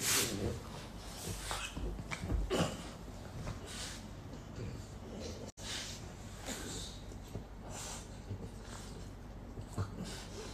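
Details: French Bulldogs Isa and Hugo of Slovenia in a playful fight give quick, irregular snorting huffs and short grunts, rattling breaths bunched in busy clusters with brief pauses between them.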